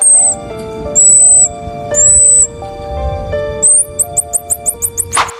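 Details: A pygmy marmoset, the world's smallest monkey, gives very high, thin whistles and a quick run of sharp chirps that sound oddly electronic, over soft background music.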